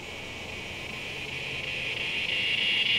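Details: Windy-afternoon cicada song from September 14, 2023, captured by phone with a Shure MV88+ stereo mic: a continuous high electric whine that swells steadily louder over three seconds, with breeze noise beneath.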